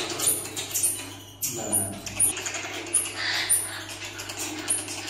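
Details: A pair of Common marmosets (pocket monkeys) give very high, thin, short chirps, repeated irregularly every half second to second, over clattering handling noise and a low electrical hum.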